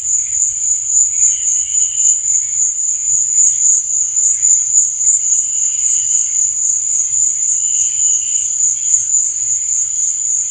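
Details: Night cricket chorus, a continuous shrill buzzing trill at constant pitch, overlaid by softer, lower chirp bursts roughly every two seconds, no other sounds standing out.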